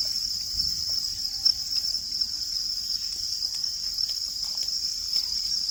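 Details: Crickets chirping: a steady, unbroken high-pitched trill runs throughout, with faint low background noise beneath.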